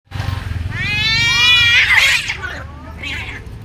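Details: Domestic cats fighting fiercely, a harsh rising yowl with dense harmonics swelling into a loud screech, then a shorter snarl, over low rumbling background noise.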